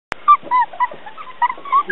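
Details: Border Collie puppies playing on a lawn, giving short high whining yelps in quick succession, with a sharp click at the start.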